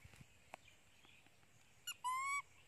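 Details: Janny, a pet monkey crying loudly from hunger for her mother, gives one short harmonic scream near the end, steady then slightly rising, after faint clicks and quiet background.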